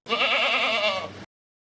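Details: A single goat bleat, long and tremulous, its nasal tone wobbling steadily for about a second before cutting off cleanly.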